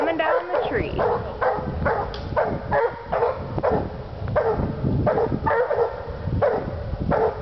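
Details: Pair of Walker Hounds barking hard at the tree, rapid repeated chop barks roughly twice a second with harmonic overtones, layered over low-frequency rumble and some human voice.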